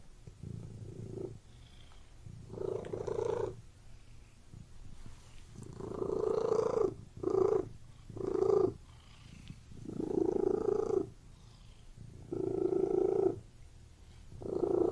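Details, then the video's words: Indoor cat purring, a low rough rumble coming in uneven bursts, some long and some short, with soft breathy gaps between them over about fifteen seconds. "Purring Cat in Room"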